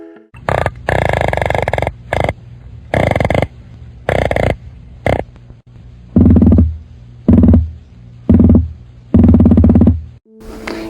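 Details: A whitemouth croaker drums with its swim bladder in deep, throbbing bursts that repeat about once a second; such sounds are typically made by males in the breeding season to attract females.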